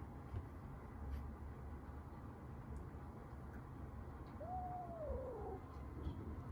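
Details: At a first cage-side meeting between resident tabby cats Lili and Rimu and rescued kitten Rita, a single arching meow that rises then falls away sounds against quiet indoor background hum.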